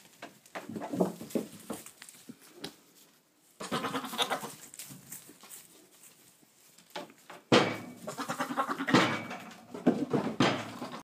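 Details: Boer buck talking to his goats, recorded 22 October 2013: bursts of throaty, wavering bleats and grunts come in clusters near the start, middle and end, with brief quiet gaps between them.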